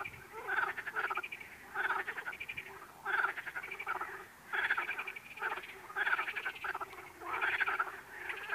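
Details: A frog repeats a rattling, pulsed croak about every second and a half, each call a steady buzzy burst separated by short silences.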